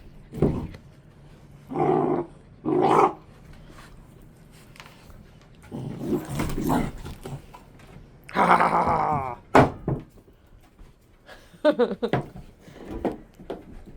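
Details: A litter of Central Asian Shepherd puppies squabbling, one bitten hard enough by a sharp-toothed brother to draw blood: irregular throaty growls and gruff bursts, a louder rasping snarl mid-clip, then short choppy growls.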